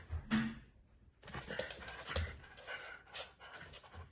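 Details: Corgi puppy growling while pulling a rope in play indoors: rough, noisy bursts of growling and panting breaths in uneven spurts, with a brief pause early on.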